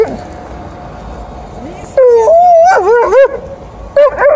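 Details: Alaskan Malamute and Golden Retriever vocalizing loudly at the end of a morning walk; the malamute, Liza, is in heat and angry at TJ. After a quiet start, wavering, rising-and-falling yowls and woo-woo howls fill the second half.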